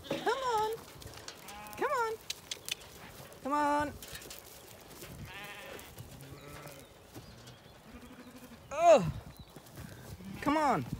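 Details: Zwartbles lambs at breakfast on an Irish farm in County Kilkenny, summer morning: several loud, shaky, wavering bleats scattered through, overlapping a man's voice coaxing the sheep with repeated calls of come on.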